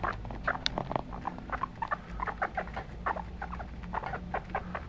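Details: Pet guinea pigs chirp in rapid, short squeaky bursts almost without pause, with a sharp tap early on and a low hum beneath.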